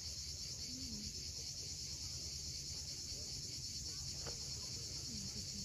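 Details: At sunset on a Crimean sea cliff at Cape Fiolent, cicadas hold one steady high metallic hiss throughout, while waves murmur low and a couple of brief faint bird chirps break in.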